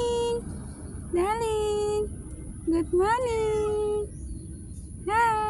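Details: Street cat asked if it is hungry and called to come for food, answering with three clear meows about two seconds apart, each rising sharply then sliding down, between a woman's soft calls of 'come, darling'.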